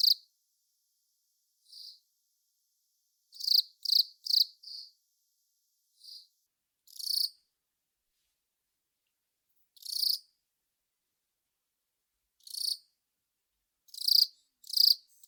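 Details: Velarifictous aspersus cricket song: sharp, high chirps at irregular intervals, some in quick bursts of three or four, separated by silent gaps of several seconds.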